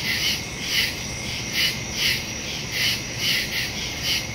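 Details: Crickets in woods at night, recorded September 2, 2023: a steady, high, shimmering chorus with soft pulses recurring about every half second.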